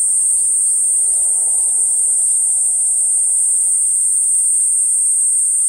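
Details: Platypleura kuroiwae cicada producing a constant, piercing, even buzz. Over it a bird gives a quick series of short descending chirps, about five in two seconds, then one more chirp later.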